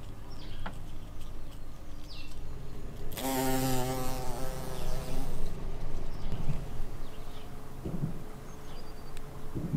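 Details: Buff-tailed bumblebee queens foraging for nectar and pollen in spring. A loud, low droning buzz with stacked harmonics sweeps past for about two seconds, then fades into a quiet outdoor background with faint low rumble and a few soft clicks.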